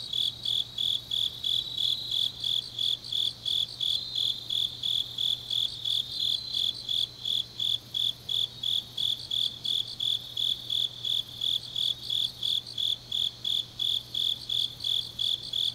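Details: Grass insects on a deep autumn night in Changnyeong, South Gyeongsang, Korea: steady high-pitched chirps pulsing about three times per second in an even, unbroken rhythm, with a faint low hum beneath.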